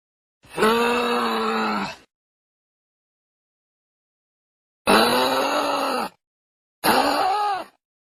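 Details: Kangaroo cub repeating a moaning, harmonic call three times: one long groan, then after a pause two shorter ones close together, each with a slightly wavering pitch.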